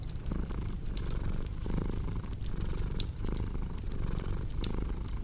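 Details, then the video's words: A domestic cat purring steadily: a low, rumbling throb that swells and eases with each breath about every second, over the sharp pops and snaps of a crackling fireplace. "Purring Cat with Cozy Crackling Fireplace Sound"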